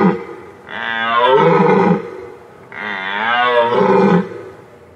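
A deer gives two loud, drawn-out bellowing calls, each about a second long, a couple of seconds apart.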